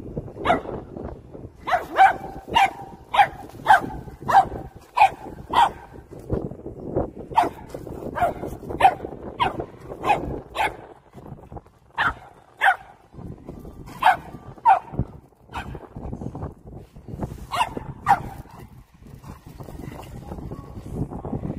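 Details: Poodle chasing a remote-control car on hunting instinct, barking steadily and excitedly, about a bark and a half per second, in loose runs with brief pauses and constant low background rumble.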